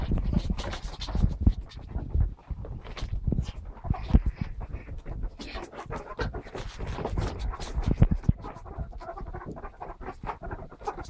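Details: A family of pet ferrets playing, mobile phone recording; steady stream of low huffs and soft clucking bursts with rustling and bumping throughout, the rough play continuing without pause for the whole stretch.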